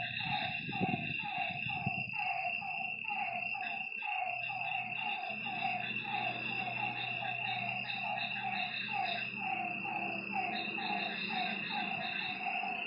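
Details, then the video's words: Frogs at a lake after dark: a strong series of short, descending croaks in the first half that thins out, under a constant high insect trill and low rumbling. "Lakeside night creatures and frog sounds"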